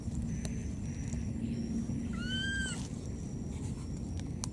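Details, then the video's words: Wild baby monkey, lost and calling for its mother, gives a single drawn-out tonal cry that rises a little and then dips at the end, rich in overtones, over constant low-pitched background rumble and a faint high whine. "This lost baby monkey keeps calling for its mother"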